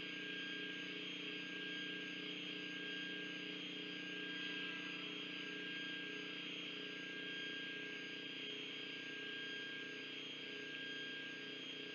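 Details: A steady mechanical drone with constant tonal hum, like engine or aircraft noise, fills the whole recording, with no animal calls heard.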